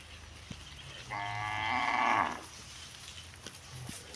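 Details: Village cow lowing; one sustained moo of about one and a half seconds, strongly harmonic and slightly rising in loudness before stopping, with a few soft clicks around it.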